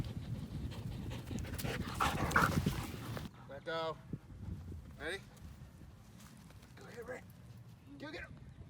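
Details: Belgian Malinois shepherd dog Strider out walking and playing with the family; after three seconds of rustling and voices, four short, high, wavering whines come at irregular intervals over a quiet background.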